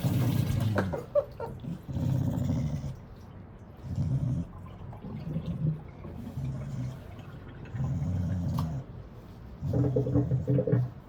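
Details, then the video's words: Low, throaty grumbles from The General, a wire-haired dachshund fresh from a shelter, while being bathed; rough rumbling bursts recur roughly every two seconds, with faint water sounds and a soft voice in the pauses. "Grumbly wire hair DACHSHUND gets a bath, sort of"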